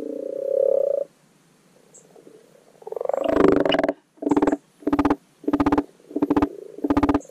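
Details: Common pond frog giving its spring spawning call in a garden wildlife pond: a soft purring croak first, then a louder rattling burst and a run of short pulsed croaks spaced about half a second apart.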